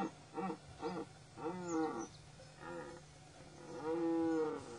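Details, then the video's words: Stags, dominant males during the rut, calling: a series of short groaning grunts followed by longer moaning bellows with rising-falling tone, quieter at first then louder, against a steady low hum. "Dominant stags"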